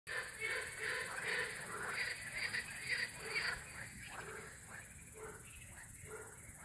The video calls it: Frog sounds at night